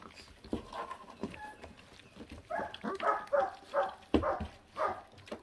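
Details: Puppy of a feral dog feeding; soft rustling gives way to a quick series of short, voiced growling whines, about two per second, with chewing clicks between them.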